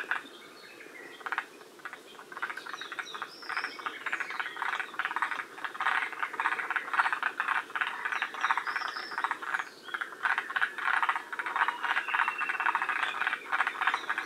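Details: Forest green tree frogs calling together at Shiriya in Aomori, Japan, near the species' northern limit: steady, chattering rattles overlap constantly, with faint high thin whistles in the background.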